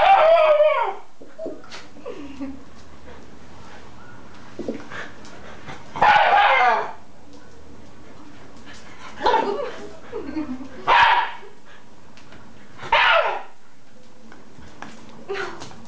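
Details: A Shiba Inu, in a conflict, gives short, harsh bursts of vocal sound spaced a few seconds apart, with faint voices between.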